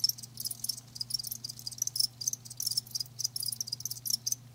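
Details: Crickets, kept live, give quick shrill chirps in short clustered bursts about every half second, bright and tinkling, over a soft constant low hum.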